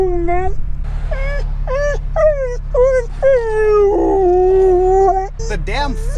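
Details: A Siberian husky riding in a car, stopped in traffic, cries with a run of high, wavering whines stretching into a drawn-out, mournful howl, a tantrum when the car is still. Finding: Siberian husky.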